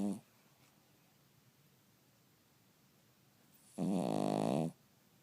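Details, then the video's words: Snoring Cavalier King Charles Spaniel in a quiet room: a brief snore tail at the start, a long silence, then one loud, buzzy, rattling snore lasting nearly a second. "Cavalier King Charles Spaniel Snoring"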